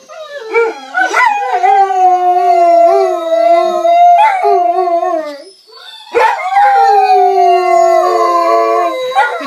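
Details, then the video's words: German shorthaired pointers howl while listening to their own howling, long, wavering, mid-pitched notes, with voices overlapping near the end. "Dogs listen to themselves howling"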